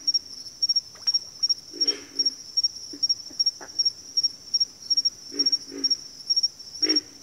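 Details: Backwater frog chorus of scattered low, rasping grunts, some doubled, spaced irregularly over a persistent high-pitched pulsing trill.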